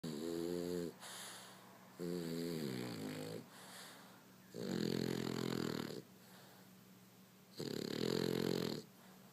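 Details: Frankie, a French bulldog, asleep and snoring loudly: four long rumbling, harmonic-rich snores of about a second each, evenly spaced roughly every two seconds, with quieter wheezy breaths between them.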